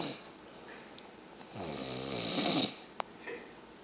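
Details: Grizzly bear (Ursus arctos horribilis), snoring.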